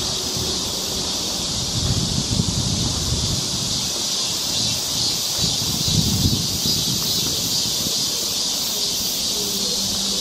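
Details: Summer cicada chorus on a forest trail in Seoul, Korea: a continuous shrill hiss-like buzz holding steady throughout, over soft footsteps and rustling.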